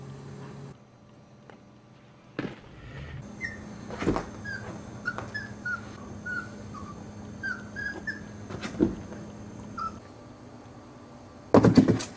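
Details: Chihuahua puppies playing in an enclosure and jumping on steps make a run of thin, high whimpers and squeaks, brief and slightly falling, about every second, with dull knocks, bumps and a final louder clatter.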